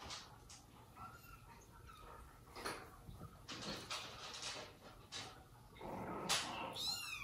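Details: Household of cats: mother cat Jaco with her own and foster kittens, a dad cat keeping her from leaving them, and a monkey named Susie as nanny; high, thin harmonic mews near the end over rustling and thumps indoors.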